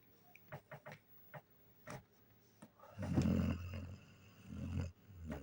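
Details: Sleeping German Shepherd: a few faint clicks and rustles, then a low, rasping snore lasting about two seconds, followed by a shorter rumbling breath.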